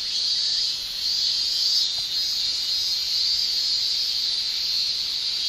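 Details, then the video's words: Shrilling male Japanese cicadas in summer in Japan, their tymbal song a dense steady high-pitched buzz with slight swells, a faint brief chirp briefly audible beneath. "Japan Summer Cicada Shrilling"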